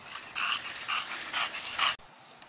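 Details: English Bulldog playing in a back yard, chasing bubbles; rapid breathy, huffing snorts in close bursts for about two seconds, then a sudden drop to near quiet.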